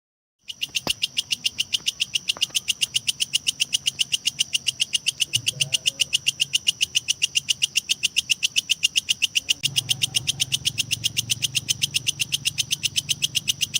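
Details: Kecek grasshopper used as a lovebird training recording: starting after a brief silence, crisp high ticking chirps pour out at a fast, even pace of nearly four per second, with a faint low rumble beneath and a couple of soft clicks.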